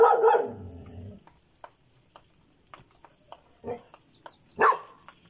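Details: Barking Šarplaninac: one full, deep bark with a low rumbling tail opens the clip, then two shorter, sharper barks follow after a pause, with light clicks between.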